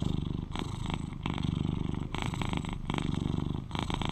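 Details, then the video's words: Eleven-year-old British Shorthair tomcat purring at close range: a rough, rapid low rumble that rises and falls with each breath, under a second per cycle. "Sweet Cat Purrs to Lull You to Sleep"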